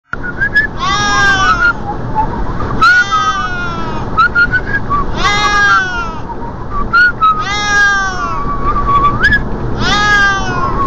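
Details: A Siamese cat riding in a car's passenger seat gives loud, drawn-out meows about every two seconds over a steady engine rumble.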